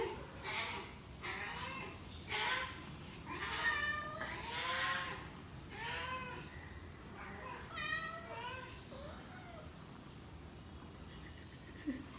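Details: Hungry cat meowing again and again, a string of drawn-out, arching meows about once a second that then thin out, with faint background hiss and music.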